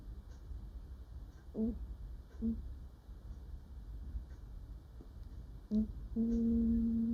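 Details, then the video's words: Dreaming house cat, a female, asleep indoors: several soft, short chirping murmurs spaced through a quiet stretch, ending in an even, sustained low hum. "Cat sleeps and makes cute noises while dreaming"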